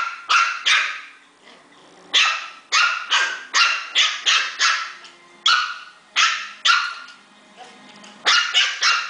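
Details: Puppies fighting, giving high, sharp barks and yelps in quick bursts of two to five, with short pauses between bursts, steady throughout.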